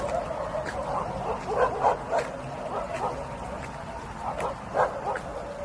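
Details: Pet dog Miru, indoors at home, lets out clustered short whining yips, several per second, with a louder group near the middle and another toward the end, against constant low background hum.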